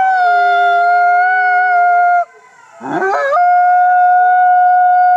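An Arctic fox gives a long, steady, howling cry, pausing briefly before holding the note again.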